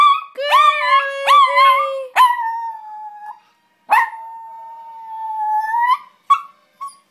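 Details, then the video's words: Izzy the terrier singing: quick stacked yelping howls over a steady low tone, then a long smooth held howl that swells near its end, followed by two brief yips. "Izzy singing"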